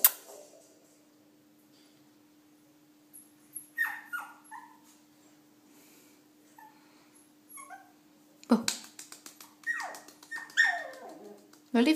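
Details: Shih Tzu puppy Milo, scared of going down a staircase at home, whimpers in clusters of high falling cries. A sharp knock and a woman's coaxing voice in Hebrew break in, and a steady hum runs throughout.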